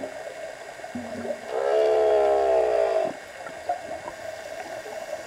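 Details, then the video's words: Underwater song of a humpback whale heard during a dive: a low grunt, then a buzzy harmonic-rich moan held steady for about a second and a half before cutting off, amid soft water noise. "Humpback Song while diving!"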